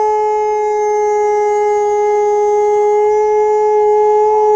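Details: Diesel, an Alaskan Malamute, holds a long, steady howl at one unwavering pitch with rich overtones, slightly swelling in loudness toward the end.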